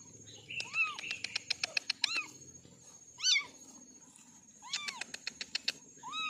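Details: Four orange kittens mewing with high, arched, harmonic meows, one briefly squeakier and wavering, interleaved with quick runs of sharp clicking taps.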